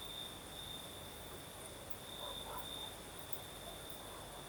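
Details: Crickets trilling through the night in southern Crimea, one sustained high note with slight flickers, over a faint breeze; a few soft, indistinct lower sounds appear midway.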